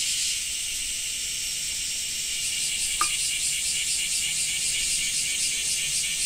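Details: Cicadas in Japan make a steady, high, rasping buzz with a faint pulsing texture, in rain: cicada.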